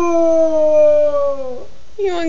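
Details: Barry, a pet beagle, howls indoors at bedtime: a long sustained tonal note gliding slowly downward for about one and a half seconds, then a brief pause and a second, rougher, higher howl beginning near the end.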